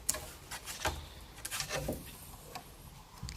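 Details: Scattered ticking and tapping clicks in a small quiet indoor room, with no animal voice.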